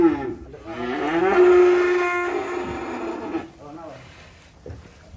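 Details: A loud, drawn-out bellow from a black sacrificial bovine being unloaded from a truck at a rural pen. It holds a strong steady tone for about three seconds, then fades into quieter grunts and handling noise.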